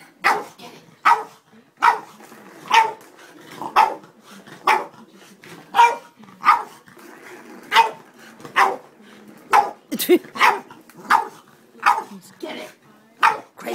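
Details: Indoors, Moe, a Boston Terrier driven crazy by a cat toy he is trying to play with, keeps up a long run of sharp barks, roughly two every second, with a brief growly note midway.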